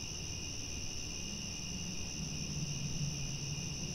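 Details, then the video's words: Crickets at night keep up a steady, unbroken high trill in two bright pitch bands, like many insects calling together, over a low rumbling background hum. "Crickets At Night"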